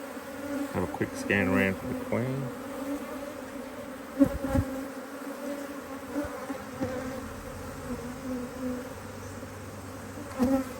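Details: Working honey bees at an opened Hive IQ hive in Australia, nearly mid-Autumn 2023, as another box is added; brief human voice early on, then a continuous even buzzing drone with occasional soft knocks.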